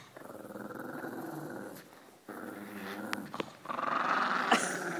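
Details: Pug growling and making funny noises during tug of war whenever a shepherd dog comes near, indoors; rumbling throaty growls in bursts with a short pause midway, a few sharp clicks, louder growling toward the end.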